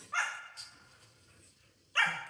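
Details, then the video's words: Two Siberian Huskies fussing over cucumber from their owner; a sharp harmonic yelp opens, then a second loud, bright bark follows nearly two seconds later, with a person's shout and faint room noise between. "Husky drama"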